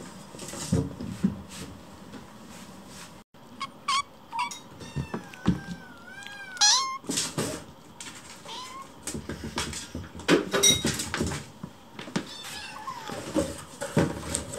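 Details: Several hungry rescued kittens crowd around their keeper during meal preparation, meowing to hurry the food along; high, bending meows rise and fall repeatedly over household clatter and knocks.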